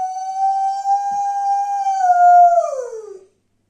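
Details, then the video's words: Domestic dog howling indoors: one long, steady, clear mid-pitched tone held for nearly three seconds, swelling louder, then sliding down and fading out. "Howling dog"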